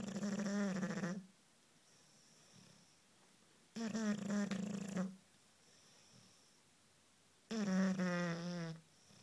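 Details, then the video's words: A one-year-five-month-old Bulldog sleeping while cuddling on a couch indoors, snoring in three loud, low, throaty rattling snores, each about a second long, roughly every four seconds with quiet breathing gaps between. "Bulldog snoring"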